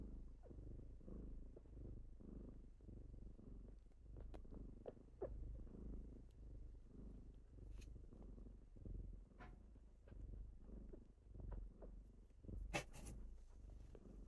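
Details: Kittens purring while waking someone in the morning. A softer, low rumble with gentle breath-timed swells is broken by frequent sharp clicks and rustles, likely movement on bedding.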